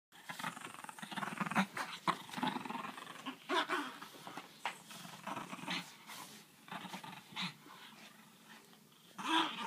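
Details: A French bulldog gives rough, gravelly growls and snorting grunts in uneven bursts while interacting with a griffon dog nearby.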